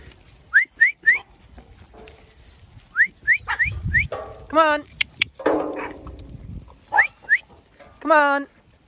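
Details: Zwartbles sheep of a farm flock in County Kilkenny, Ireland, calling to each other at feeding time. Two wavering, quavering bleats stand out mid-way and near the end, mixed with a person's short rising whistles and a woman calling the flock.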